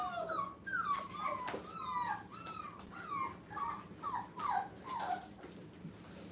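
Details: Five-week-old puppies in a playpen for the first time, a chorus of high, tonal whimpers sliding downward, overlapping in quick succession with short yips among them, in a small indoor room.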